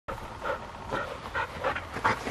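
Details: Field-type Labrador Retriever, one of two 15-month-old sisters, black and yellow, after racing each other; quick breathy panting, roughly two puffs a second, steady and close.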